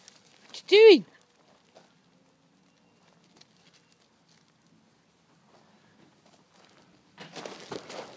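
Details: A puppy, one of two newly arrived puppies barking at their own shadows, gives a single high, arching yip, followed by a person speaking.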